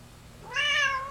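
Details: Indoor domestic cat after a meal, playing; one short, loud meow that swells quickly, holds a slightly rising harmonic tone, then tapers, in a quiet small room.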